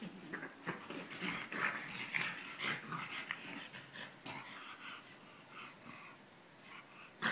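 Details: Two bulldogs, one French and one English, wrestle in play during their second round. Fast wheezy snorting and rasping breaths come in quick ragged bursts, loudest early on, then fade to quieter panting.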